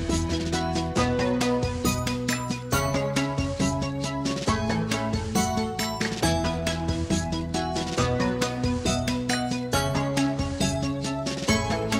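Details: Rhythmic instrumental background music with steady beats and repeated tonal phrases fills the whole stretch, with no animal voice.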